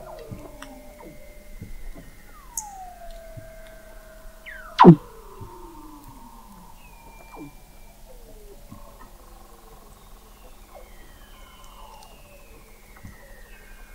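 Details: Weddell seals under sea ice in McMurdo Sound, Antarctica, recorded November 2017 at the McMurdo Oceanographic Observatory 21 m down: overlapping descending whistles and long gliding tones from several seals, with a sharp loud thump near midway.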